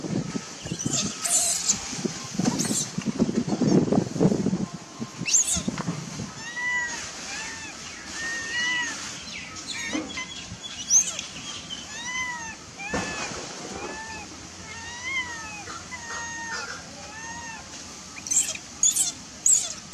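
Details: Angry baby macaque, denied milk by its mother, shouting: after rustling and handling noise, a long run of arched, whistle-like cries with bright overtones comes in quick succession, some paired, with sharp clicks now and then.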